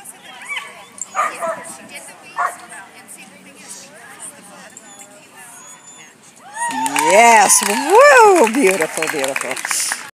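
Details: Golden Retriever at a club agility trial in San Diego, March 21, 2014, barking excitedly: a burst of loud, rising and falling harmonic barks and yips near the end, after a stretch of crowd noise and praising human voices.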